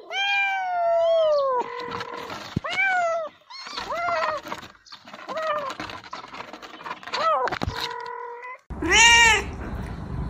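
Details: House cat giving a run of meows, some long and wavering, others short and upward-bending, over a background of rustling and handling noise, with a final high, bright meow.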